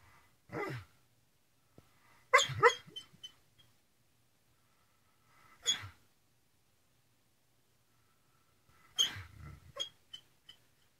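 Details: Greyhound in the cockroach position, paws moving as though running while barking: a few short, breathy, muffled barks and snorts in separate bursts several seconds apart, with faint yips between, in a quiet room.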